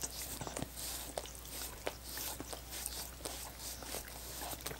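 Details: Dogs licking coconut water popsicles; quick wet clicking licks repeat irregularly, several per second, over a faint steady low hum.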